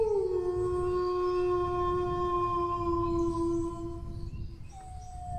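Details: Dog howling: a long, steady tonal wail that dips slightly at the start, then holds a level pitch for about four seconds before fading, with a faint second voice entering near the end over low background rumble.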